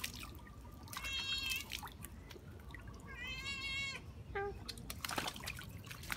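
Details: A cat playing in water gives two drawn-out, tonal meows, the second longer and wavering, over a steady background of splashing and dripping water.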